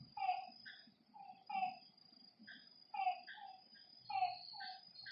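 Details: Frog calling at night beside a lake: short downward-sliding nasal notes with a higher echoing overtone, given in clusters about every 1.3 seconds, over a steady thin high-pitched whine and faint low rumble.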